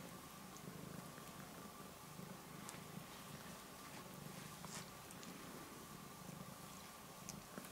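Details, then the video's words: A male cat purring as his claws are clipped, a soft even low hum with rapid pulsing, joined by scattered faint ticks and clicks. "Purring Cat Gets His Claws Cut"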